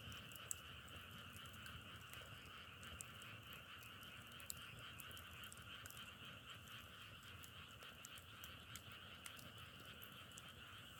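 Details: A frog chorus drones without pause as an even two-toned trill. Scattered dry clicks and crackles sound over it, with a faint low rumble underneath.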